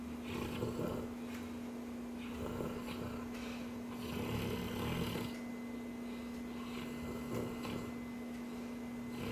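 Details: Sleeping Cane Corso, dreaming, gives soft rhythmic snores, a series of short breathy rasps every couple of seconds, against a steady background hum.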